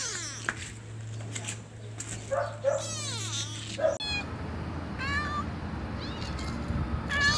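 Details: Domestic cat meows, a compilation meant to draw cats closer: several drawn-out, wavering meows of mixed pitch and length, some overlapping, over a low steady hum and a cluttered background.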